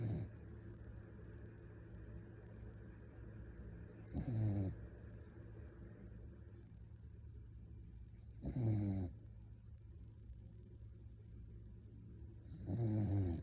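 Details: Sleeping puppy snoring: three short, low rumbling snores, each with a faint sniffing hiss, spaced about four seconds apart over a quiet, steady room hum.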